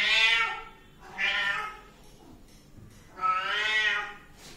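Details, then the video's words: Kitten meowing indoors: three high, clear harmonic meows, each rising then falling, the first and last long and drawn out, the middle one shorter, with brief quiet gaps between. "anak kucing meong-meong | anak kucing meow | bunyi anak kucing meow"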